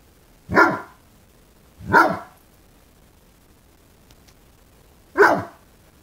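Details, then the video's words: Five-month-old fawnaquin Great Dane puppy barking at a new candlestick in the window, still learning to use its voice: three single deep barks spaced over a few seconds, quiet room between them. "Great Dane puppy barks at scary candlestick"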